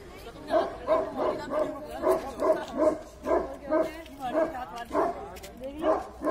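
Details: Tibetan Mastiff in public giving a long run of deep, resonant barks, evenly spaced about every half second, with faint background voices.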